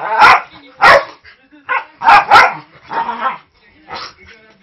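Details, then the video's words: Snoopy, a 5-year-old Manchester Terrier mix, barking loudly while rough-housing with Jude, a 3-month-old husky lab mix puppy; the play sounds aggressive but is harmless. Harsh, broadband barks come in about six bursts, some in quick pairs, with brief pauses. "Husky mix puprough housing with very vocal (but harmless) Terrier mix"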